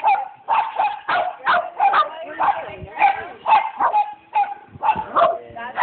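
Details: A female Border Terrier at an agility lesson barks in a steady run of sharp, high yaps, about two per second, with voices audible underneath.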